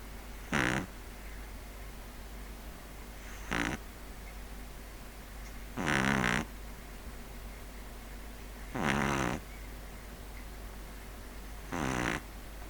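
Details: Pug sleeping indoors, snoring loudly: five broad rasping snores, each about half a second, repeating roughly every three seconds over a steady low hum.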